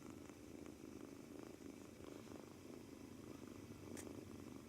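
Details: Purring from a two-month-old male British Shorthair kitten kneading on its first day in a new home, seemingly nervous; an even low throaty rumble with a brief sharp click near the end.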